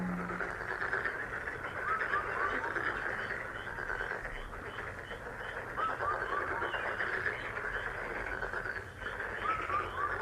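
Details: Frogs in a dense, continuous chorus of rapid mid-pitched pulsed croaks, about four per second, with short downward-sliding chirps breaking through now and then and a brief low hum at the start.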